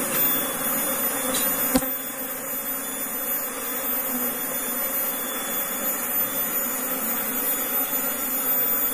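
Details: A kept Apis cerana honey bee colony, newly relocated into a cultivation box, gives an even, droning hum that holds at one pitch throughout, with a brief sharp tap near the start and a steady airy hiss.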